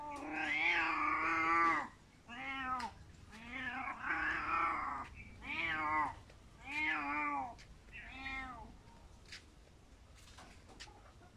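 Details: A crying cat gives a long, strained opening wail followed by five or six shorter bent meows at about one per second, harmonics bowing upward then down, growing softer toward the end, with small clicks between calls.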